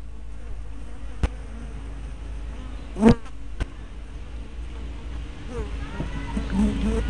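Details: Bees flying at the entrance of a hive, filmed 24 May 2012 on a small spy camera; low droning hum with individual bees swooping past in rising and falling buzzes, a few sharp clicks and knocks.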